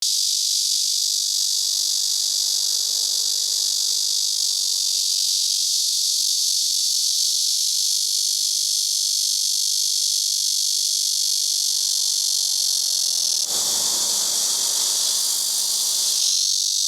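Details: Chorus of cicadas (Cryptotympana atrata): a dense, continuous high-pitched buzzing drone holding steady throughout, with a brief lower rustling burst near the end.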